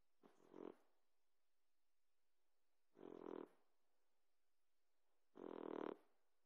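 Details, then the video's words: Sleeping Boxer puppy snoring loudly, each rasping breathy snore lasting under a second and repeating about every two and a half seconds, growing louder by the third, with silence between. "Boxer puppy snores like a champ!"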